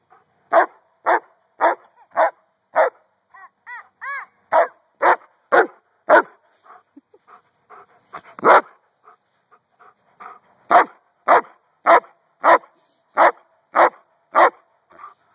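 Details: Giant Schnauzer outdoors during play with a toddler, barking in steady bursts about every half second, a short pause with softer whines, then another run of loud regular barks.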